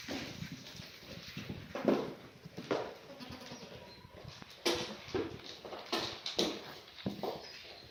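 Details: Black goats, mothers with kids in a birthing pen on a Gimhae farm, South Korea, clear Monday morning in March 2019: a few short bleats among thumps, shuffling and barn clatter.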